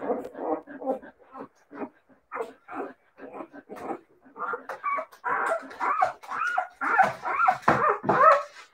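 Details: Several Siberian Husky puppies give short yips in quick succession, building into higher, rising whines and squeaky barks toward the end.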